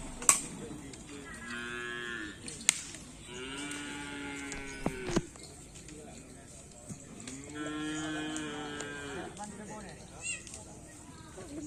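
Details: Two black bulls training for karapan sapi bull racing on the Asemanis field in Pamekasan: three long, drawn-out moos with rich harmonics, each lasting one to two seconds, separated by short pauses, with faint sharp clicks and knocks.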